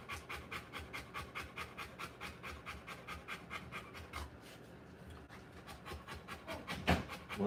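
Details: Rottweiler panting during the live birth of her puppies, quick rhythmic breaths for about four seconds, then quieter rustling and a brief higher squeak near the end.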